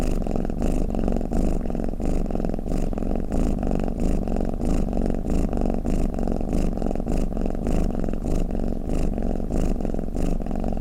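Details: A sleeping house cat snores, meant for soothing listening cats: a continuous deep purring drone, pulsing gently about every half second, with a light airy rasp on each breath and no other sounds.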